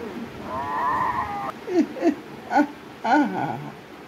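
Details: Fighting cats: a drawn-out, wavering, mid-pitched yowl lasting about a second, followed by four short, sharp rising-and-falling cries spaced roughly half a second apart, with low background noise.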